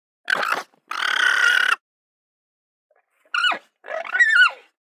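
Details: Alpaca voice: a pair of short, harsh tonal bursts, then two sharply falling, quavering cries with bright harmonics, separated by near silence.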